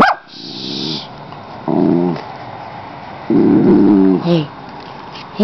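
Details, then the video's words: Molly, a pet dog pressed against a window screen, slobbering and keen to go outside, lets out three throaty, growling woofs of about half a second each, separated by short pauses, with faint hiss in the background. "Barka Barka Barka Molly"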